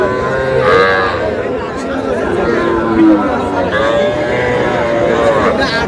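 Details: Calves, small bulls and heifers, at Aftabganj cattle market in Dinajpur district, Bangladesh, on a Saturday in August. Drawn-out harmonic moos at about one, three and five and a half seconds sound over a steady hum of crowd chatter.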